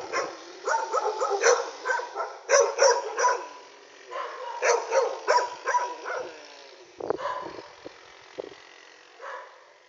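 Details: Dog barking at night, recorded on an Android phone: a dense run of overlapping sharp barks, several in quick bursts, easing off into a few scattered yaps toward the end.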